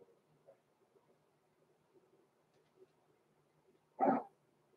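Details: Six-week-old blenheim Cavalier King Charles Spaniel puppies, Roman and Blue, born November 14, 2022, in an indoor puppy pen: after four seconds of quiet room murmur, one short, sharp bark rings out.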